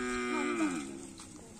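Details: Cattle at karapan sapi bull race practice on a field in Asemanis: a brief, steady, nasal moo that slides slightly downward and fades within about a second and a half.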